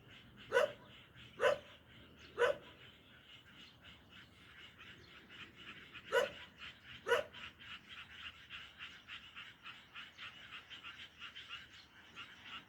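A dog barks in alarm on guard, with three sharp barks about a second apart, a pause, then two more. A fast, steady pulsing chorus, likely frogs or insects, runs underneath throughout.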